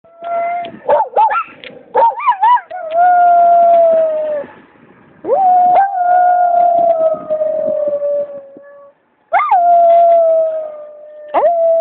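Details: Miniature Schnauzers howling, with Austin the vocal one among the dogs: long sustained wavering howls with rising yelps between them, broken by short pauses, loud and clear with no other sounds.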